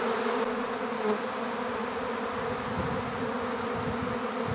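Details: Honeybee swarm during capture into an empty hive, a continuous buzzing drone with some rougher low rumbling and faint knocks, loudness staying level throughout.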